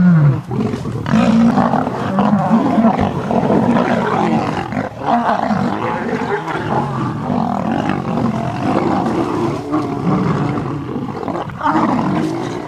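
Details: Lions in a knock-down fight at sunrise on August 11, as three visiting Birmingham males clash with the Nkuhuma pride and its cubs; harsh, continuous roaring and snarling, dense overlapping growls with scarcely a pause throughout.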